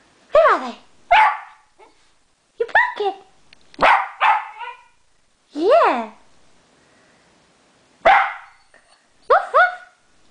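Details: Pet dog reacting to the word 'pussycat', barking in short sharp bursts, some doubled, with rising and falling yelps spaced through the recording, the first near the start and a later cluster toward the end, against a quiet room.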